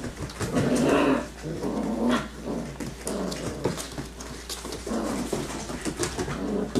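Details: Yellow and black Labrador Retriever puppies, six weeks old, growling while they play and run; a low rumbling growl rises early, followed by shorter grumbles amid paw scrabbling.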